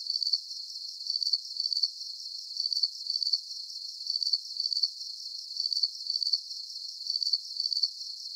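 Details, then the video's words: Calming cricket chorus for deep sleep, a high-pitched shrill trill broken into short pulsed bursts, clustered chirps recurring regularly over a soft continuous hiss, nothing else audible. "Calming Cricket Sounds"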